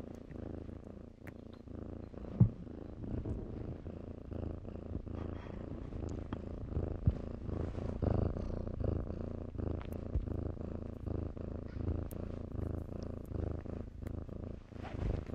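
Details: Kittens playing in blankets give a soft, low continuous purr with faint rough pulsing, quieter and less distinct than a close purr, with occasional light rustles and clicks of fabric.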